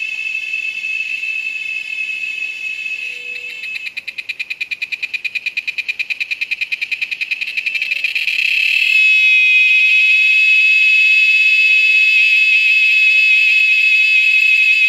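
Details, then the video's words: Cicada calling at an Amazon nature lodge: a loud, shrill drone breaks into rapid rhythmic pulsing, then swells into a continuous high whine, with faint low tones now and then. "Cicada Sound"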